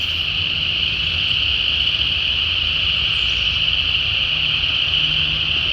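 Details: In a Georgia wetland in late January, a deafening spring peeper chorus, thought to be mixed with some chorus frog species, has countless high peeps blurring into one steady shrill ring.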